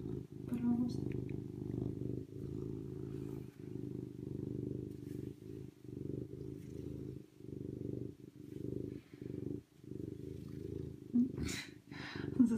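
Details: A serval purrs at close range in a low, pulsing rumble that pauses repeatedly in short breaths, with a couple of brief higher sounds near the start and end.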